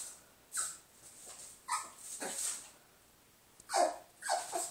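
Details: Pet dog Lola barks at her reflection in scattered bursts, a pair of yelps followed by a pause and then two louder barks near the end, over faint background hiss.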